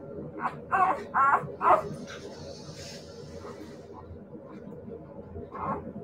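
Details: Siberian Husky puppies giving a quick run of three or four short, high, tonal yips early on, then quiet background murmur and one further yelp near the end.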